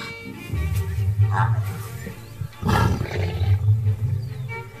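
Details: Lion giving deep, rumbling roars in two long low bursts separated by a brief breathy pause, set against steady background music.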